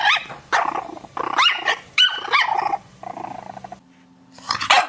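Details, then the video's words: Pet dog barking and yelping in a varied run of bursts, some higher and whining, with a brief quieter pause before a final loud bark. "강아지 짖는 소리"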